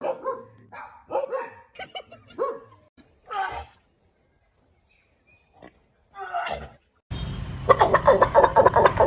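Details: A dog makes a strange sound: a run of short, whiny, yelping vocal bursts, then a sudden loud, harsh, noisy burst at the end.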